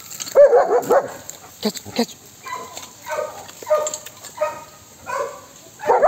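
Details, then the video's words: German Shepherd dog on guard at a house and garden gives a rapid cluster of sharp barks, then several drawn-out whining, yelping calls spaced about a second apart, ending with another loud bark. "Guarding the Garden German Shepherd Guarding the House"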